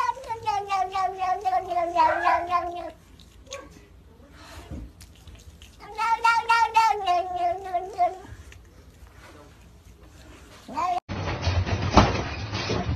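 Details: Cat calling in long wavering, harmonic-rich caterwauls, two drawn-out bouts of about three seconds each separated by quieter pauses, ending in a burst of broadband noise.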